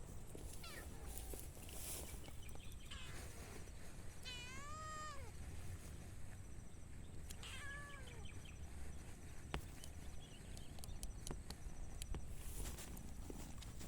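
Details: Tiny kitten among four cats, two adults and two kittens, playing outdoors: two clear meows near the middle, each a high drawn-out cry with a falling tail and rich stacked harmonics, over steady low background rumble and a faint electronic whine.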